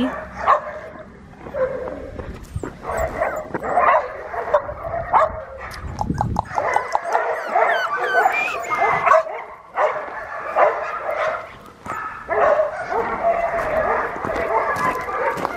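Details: Red tri male Australian Shepherd puppy, AKC/ASCA registered, giving high, thin whimpers and short yips in uneven bursts, with brief gaps of quiet and some soft rustling and handling noise.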